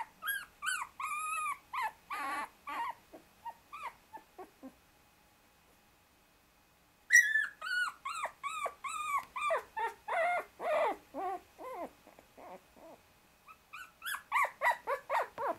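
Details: Shiba Inu puppies 24 days old, a brother struggling to escape from under two sisters using him as a pillow: a dense run of high, squeaky whimpers and yelps, a pause of silence, then another long burst of rapid cries.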